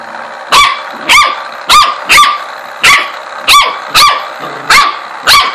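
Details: Corgi objecting to a ladybug massager barks steadily, nine crisp, high barks spaced about half a second to a second apart, each sharp at onset and fading quickly.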